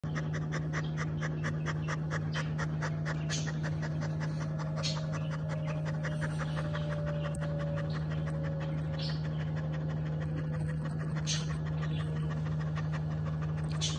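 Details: A very tired Chow Chow dog panting in quick, steady, rhythmic breaths throughout, over a constant low electrical hum.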